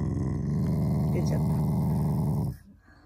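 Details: Shiba Inu family dog growling playfully to show affection, not anger: a steady, low, rumbling growl with a fast pulsing texture lasting about two and a half seconds, then cutting off into quiet.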